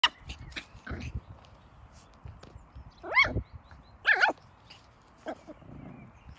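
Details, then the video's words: A male Schipperke gives a few sharp, forceful barks as an intimidating display, with quieter knocks between. "Schipperke intimidating barking!"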